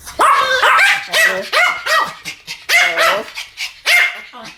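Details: Loud, close barking from two Pomeranians in a duet, each yap tonal with a bent, whiny edge, coming in uneven clusters with short pauses.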